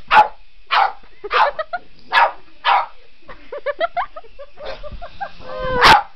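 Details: Otis, a Boston Terrier chasing a remote control helicopter, lets out several loud barks, then a string of quick whiny yelps and whimpers, ending in one more bark, with the helicopter's high hum throughout.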